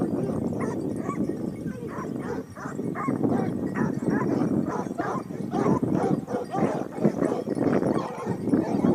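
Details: Topsfield Lebrera Basset Hounds hunting as a pack in Spain, 2015-16, second hunting year: a continuous loud clamour of hound voices, deep barks stacked over one another in a steady, busy chorus.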